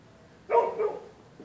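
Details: One abrupt bark with a short trailing second pulse, from neighbourhood dogs that bark all night at anyone passing along the public sidewalk.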